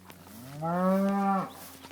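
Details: A black cow gives one long, steady, low moo lasting under a second, with a clear harmonic tone that rises slightly at the start and breaks off abruptly; faint rustling around it.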